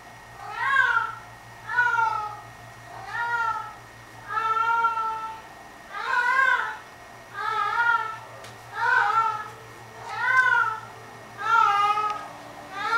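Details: Indoor pet cat singing to her sock, giving a long series of about ten tonal, bending meows, each roughly a second long and repeated every second or so in a steady chanting rhythm, with a low hum beneath.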